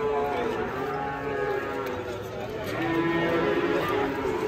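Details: Giant Pegon cattle close to one ton in weight give long, low moos, the bellow swelling toward the end, while people talk nearby in a crowded, noisy setting.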